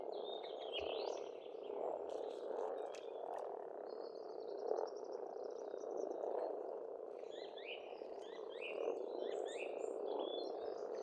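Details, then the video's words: Many frogs calling together at a pond in spring, rural Estonia, a rolling, pulsing croak chorus throughout, with a long trilling bird phrase midway and scattered bird chirps near the end. "Расслабляющее пение птиц и лягушек"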